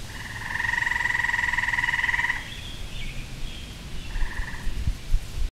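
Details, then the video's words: A backyard tree frog in spring gives one sustained pulsing trill of about two seconds, then falls quiet before a brief second trill, with low thumps and background noise underneath. "Tree Frog Serenade"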